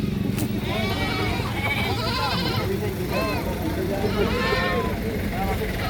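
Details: Screaming goat, possibly a kid, gives several overlapping harsh, quavering bleats in a rapid string, with a constant low mechanical hum underneath.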